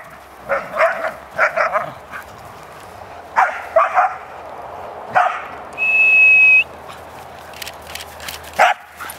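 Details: Playing dogs, a larger one disciplining two small teasing ones, give repeated sharp yips and yelps in clusters across the recording, with a steady electronic-sounding tone partway through.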